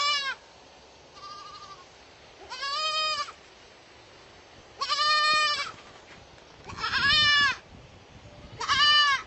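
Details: Baby goats bleating repeatedly, about five wavering, vibrato-laden cries spaced a couple of seconds apart, some louder and higher than others, over light background noise.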